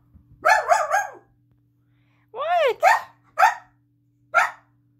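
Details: Pet dog indoors barking at its owner, who stayed lying down when the mother came home, wanting out of the room: several loud, harsh barks, some with arching pitch, others short and clipped, mixed with a person asking "Who's home?"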